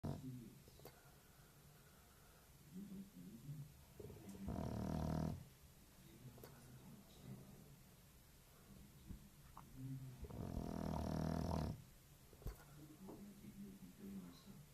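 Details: Lazy English bulldog asleep indoors, snoring like an old man; soft low rumbling breaths between two loud, rasping snorts of about a second each, repeated some six seconds apart.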